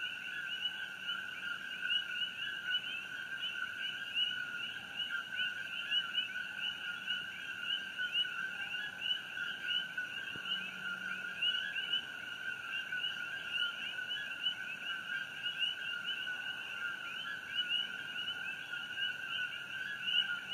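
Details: A dense night chorus of common coqui frogs on Hawaii Island, 27 June 2018, near the glow of the Fissure 8 eruption; each gives a sharp two-note 'co-KEE' rising to the second note.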